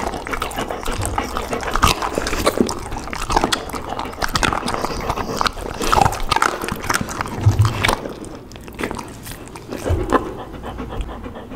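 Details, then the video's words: Pit bull puppy, which has picked up its mother's habit of snatching food, eating up close: dense, irregular crunchy biting and chewing crackles with soft low thumps throughout, loudest around the middle and near the end. "ASMR dog 小狗狗學會了媽媽的技能，開始搶奪"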